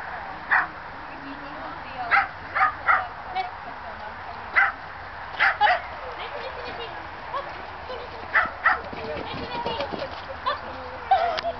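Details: Fox terrier during agility training, giving sharp high barks singly and in quick pairs and triples, roughly every second or two, with a person's voice and faint background noise.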